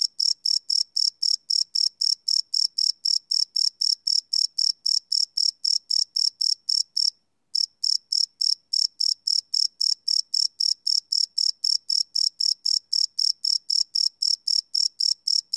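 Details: Cricket chirps at night recorded live on a Sony PCM D100 field recorder: fast, high, regular pulses near four per second, with one brief pause midway before the rhythm resumes.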